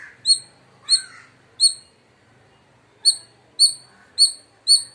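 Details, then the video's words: Indian palm squirrel giving loud, sharp chirps, short downward-sweeping high notes in an irregular series: three spaced calls, a pause, then four more in quicker succession. Faint lower rustling underneath. "Loud Squirrel Chirping Sounds | Indian Squirrel Sound"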